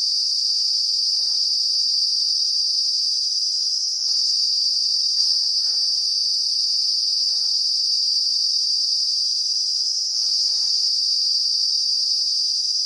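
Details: Cicada calling in close-up in the Uttarakhand hills of the Himalayas, India, its vibrating abdomen producing a loud, continuous, high-pitched trilling drone that holds steady throughout, with faint soft clicks and rustles underneath.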